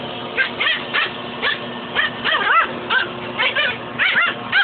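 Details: Pet dog picking a fight with a shop vac hose, giving an irregular run of high yips and whining yelps, some sliding up and down in pitch, several per second in bursts, with a steady motor-like hum underneath.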